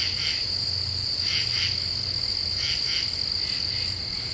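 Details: In a deciduous forest in the Ozarks, common true katydids call at night with paired scratchy pulses about every 1.3 seconds, set against a persistent high insect whine and soft low hum.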